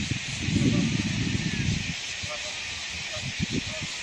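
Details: An American bullfrog's deep, throbbing call rumbles low for over a second over a steady background hiss at a dragonfly pond with moorhens, 5 July 2022.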